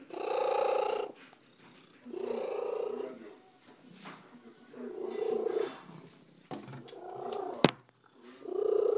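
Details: Female pet cat Slugo, a roadside rescue, purring very loudly indoors: four thick, rumbling bursts with short pauses between breaths, and a single sharp click near the end.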